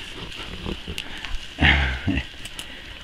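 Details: A British Alpine goat buck named Billy, a big, large-horned buck, gives a brief, deep, throaty grunt and then a second shorter burst while a man calls to him nearby.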